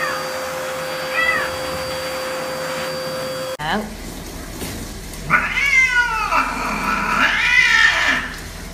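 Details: A cat being bathed in a basin of water, crying out during the wash: drawn-out, harmonic meows that bend up and fall, two loud ones about two seconds apart near the end, after a faint earlier mew over steady hum.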